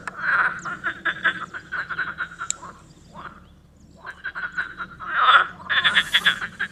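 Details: Tyrrhenian tree frog giving loud series of fast, evenly spaced croaking pulses. A brief pause about halfway is followed by further strong rattling runs, and a short, high hiss sounds near the end.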